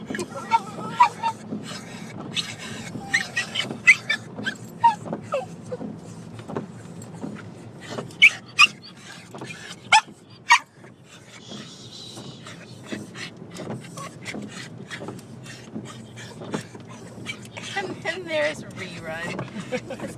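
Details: Pet dogs excitedly greeting their grandparents, making weird noises: a busy run of short high whines, yips and squeaky cries, some rising and falling, with scattered sharp clicks and a steady low hum.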